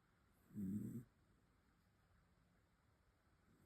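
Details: A sleeping dog snoring indoors: one short, low, rasping snore lasting about half a second, then quiet breathing, with the next snore just beginning at the end.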